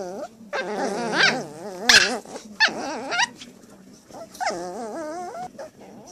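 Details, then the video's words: Two 8-week-old Shih Tzu toy poodle puppies playing, giving wavering, nasal growl-whines that rise and fall in short bursts, with a few sharp yips between them. "Cute Shih Tzu Toy Poodles Love to Play"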